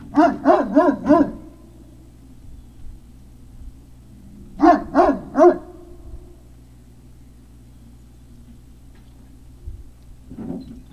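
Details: Great Dane puppies barking at Puppy Hill on 03-05-2019 around 17:06: two bursts of four sharp, evenly spaced barks, a few seconds of quiet between them, then a softer bark near the end over low hum.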